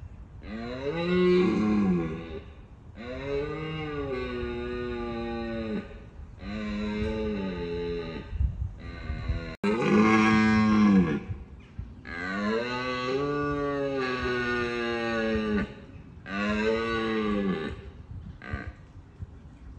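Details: Red deer stags roaring in Bushy Park in the rut, a first line of defence against rivals: a long run of deep, throaty harmonic roars, each about two seconds, repeated with brief pauses between them.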